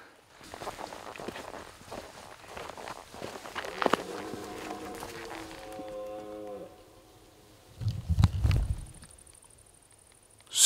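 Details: A red deer stag gives a deep, drawn-out rutting bellow during an evening stakeout at the rut, with a person speaking quietly nearby; another stag then answers, so there are at least two.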